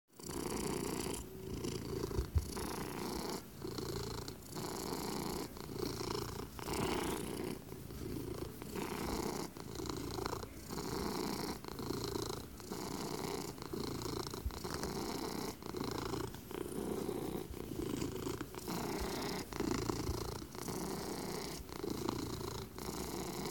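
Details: A domestic cat, a male, purring steadily and continuously indoors; a low rumbling drone with a rhythmic pulse, interrupted by faint clicks and shuffling.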